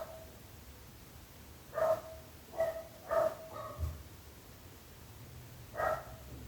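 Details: Dog giving a quick run of four or five short barks in close succession, then a pause and one final bark, with a soft low background hum.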